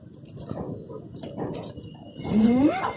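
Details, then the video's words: Roxy, a Rottweiler in winter, 'talking' indoors: muffled low grumbles, then a drawn-out whiny vocalisation rising steadily in pitch at the end. "Talking Dog"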